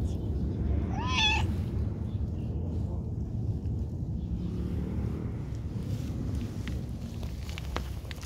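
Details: Cute cat being petted lets out a brief meow near the start, a bent, slightly rising cry, then quiet low background hum with soft rustling.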